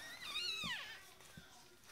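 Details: Newborn Yorkshire Terrier puppy during a Yorkie's delivery at a Michigan breeder: one thin, high whine with stacked harmonics that rises and then slides downward over about half a second, followed by soft background rustling.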